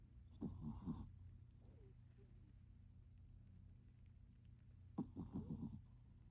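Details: Maltipoo in deep sleep giving two raspy, fluttering snores about four and a half seconds apart, each a brief low rattle with a slight nasal whistle, quiet breathing between.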